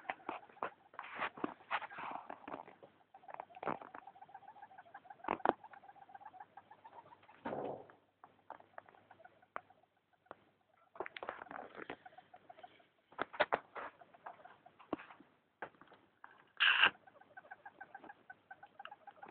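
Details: Pet hamster, female, making odd night-time noises that are new for her: long stretches of rapid clicking and crackly patter with a faint wavering squeak running underneath, plus one louder sharp squeal late on.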